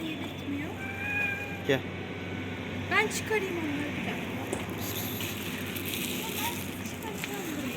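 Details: Tough, bossy kitten among outdoor cats being called to a feeding table: a steady, harmonic meow of about a second, then a sharp rising cry a little later, over constant speech and low background hum.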